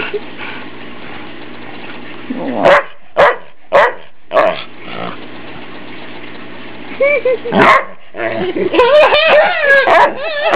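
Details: Ike, a family dog being teased at home and enjoying the attention, gives sharp single barks spaced about half a second apart, a pause, another loud bark, then a run of high, wavering whining yips; low indoor hum and some voices underneath.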